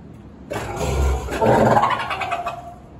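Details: A fur seal at Sumida Aquarium in Tokyo, recorded on 18 October 2021, calls loudly with a harsh, rough, throaty roar lasting a little over two seconds. It swells in the middle and then fades.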